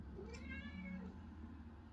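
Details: Domestic cat, a male, meowing indoors while being offered treats; a short rising-falling meow near the start, then a lower drawn-out tone, over steady low household hum.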